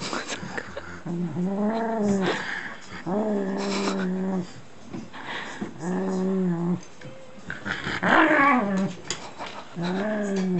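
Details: Shiba Inu at play with a strip of packing tape: steady, harmonic growling moans held for about a second each, repeated about every two seconds, one louder, rougher burst near the end, and faint rustling throughout.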